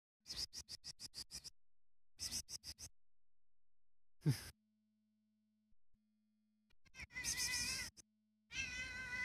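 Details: Mimi, a tame female neighbour cat, gives two drawn-out, tonal meows near the end, following bursts of sharp rapid clicks and a faint low steady hum.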